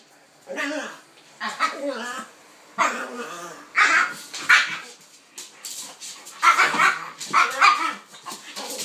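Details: Play between a pitbull and a King Charles spaniel, Kaiser and Viki: a series of moaning, harmonic bark-growls in separate bursts about a second apart, growing brighter and harsher toward the end.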